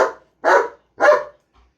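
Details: German Shepherd kept as a pet barking after being provoked, three forceful, broad barks roughly half a second apart, then quiet.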